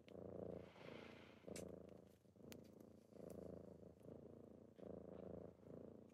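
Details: Morning purring from kittens waking their owner, a low buzzing rumble rising and falling with each breath in bursts about a second long, with faint rustling and soft ticks.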